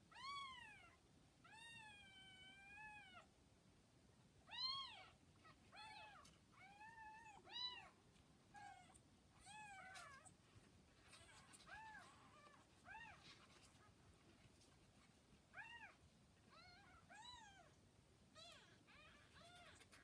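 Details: Kittens about forty hours old, with their mother cat Hana, filmed on May 8, give a steady run of high, arched mews, each rising then falling, overlapping at times, about one every few seconds.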